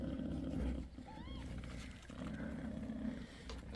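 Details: Bassy, a mother cat six days after giving birth to five kittens, purrs in a steady low rumble at home; a short high arched squeak rises briefly near the middle, with faint household background.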